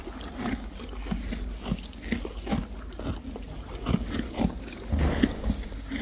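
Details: Friesian horses and foals eating hay: a Friesian horse munches with steady, crunchy, rhythmic chewing close up.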